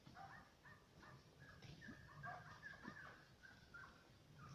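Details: German Hunting Terriers Mibun and Anja von Jagdwald giving a quick run of distant, high, tonal yelping barks, several overlapping in short bursts, over a steady low rumble of background noise.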